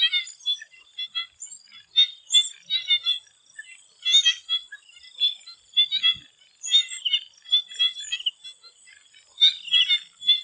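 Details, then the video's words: Thai swamp at dusk with frogs in full chorus, bursts of rapid clicking and chirped notes repeating every second or so from many callers, a faint continuous high whine behind. "The Relaxing sound of swamp frogs and nature sound"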